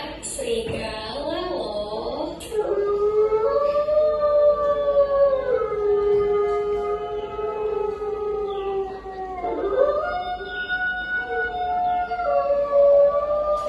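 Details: Wolves howling long at night to call members of their pack so none get lost in the forest: drawn-out, smoothly gliding tones that rise and fall, with overlapping voices and a sharp dip near the tenth second.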